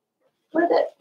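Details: Blenheim Cavalier King Charles Spaniel puppy, from a litter of five born on New Year's to Paris and Spike, indoors on the day Theo goes home; a single short, rough, harmonic yelp lasting about half a second, otherwise quiet.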